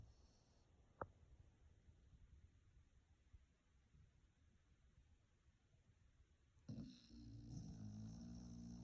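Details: Two-year-four-month-old red and white Beagle asleep and dreaming indoors, snoring in soft low rumbles, with a sharp click near the start and a louder tonal, whine-like sound rising near the end.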